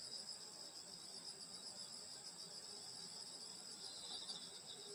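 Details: Countryside insects on a summer night at a grandmother's home, giving a dense, steady, shrill trilling chorus in several high bands, with faint low chirps scattered under it.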